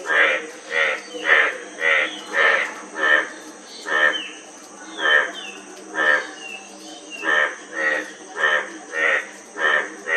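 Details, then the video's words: Frog calling in bursts of rough, pulsed croaks, pausing briefly midway while a few thin, high chirps from a bird slip in, then resuming its regular croaking rhythm. "Frog Sound--Frog Sound Effect 15 min"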